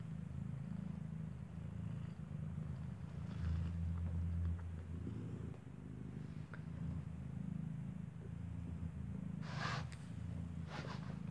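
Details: Mother cat Kartopu nursing her newborn kitten, eyes not yet open, indoors in the building where she gave birth; continuous deep purring throughout, with a few short rustling or clicking noises near the end.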